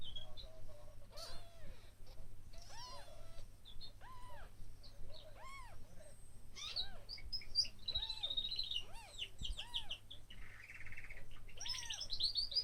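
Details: One-day-old kittens mewing: thin, arched squeaks that rise and fall, about ten across the stretch and spaced irregularly a second or so apart, with high chirping birdsong in the background.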